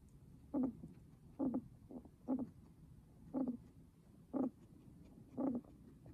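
A guinea pig breathes with short, low, raspy rattles repeating about once a second.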